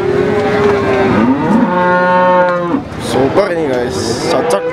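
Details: Cattle at the Warujayeng pahing cattle market on 28 November 2019: a low, drawn-out moo holding a steady pitch for about a second, preceded by shorter rising bellows, with market chatter and crowd noise behind.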